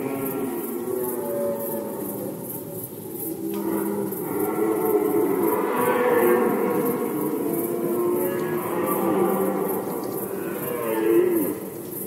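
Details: Rutting red deer in Poland, 2020, giving loud, drawn-out groaning roars: a rich harmonic bellow swells and rises after a few seconds, holds strongly, then fades with another surge near the end, against a constant high hiss.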